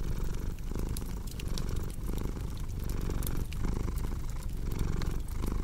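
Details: Cat purring as a steady low rumble that swells and dips with each breath, about every 0.7 seconds, under the snaps and pops of a crackling fireplace.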